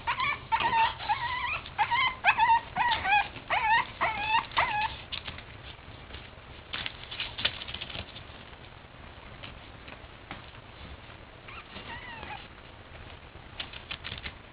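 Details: Boston Terrier puppies playing; a burst of high, repeated whimpering yips with bent, wavering tones during the first five seconds, then quieter scuffling and a few faint whines.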